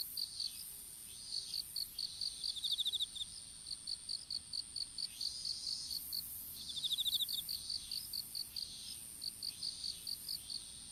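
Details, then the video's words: Insects calling in an open-field strawberry patch during seedling planting: rapid rows of short, high chirps overlapping with brief buzzy trilled bursts and a constant thin high whine underneath. "虫の鳴き声in いちご畑"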